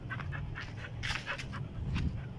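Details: Labrador Retriever dogs playing with balls, heard as quick rhythmic panting in breathy bursts over about two seconds, with a person calling short commands nearby.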